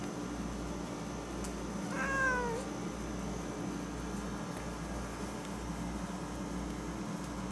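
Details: A Siamese cat on a computer desk utters one brief meow that starts high and slides downward, with clear harmonic overtones, over the constant low hum of a window air conditioner.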